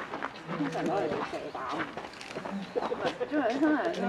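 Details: An 11-month-old female polar bear cub at Maruyama Zoo, Sapporo, Japan, begs her 17-year-old mother for milk on 15 December 2011 with wavering, whiny cries that grow louder.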